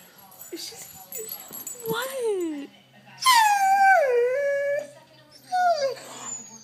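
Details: One-year-old female Doberman crying to get at a lizard on the porch: three drawn-out whines, each starting high and gliding down with a wobble, separated by short pauses, with a woman speaking softly in between.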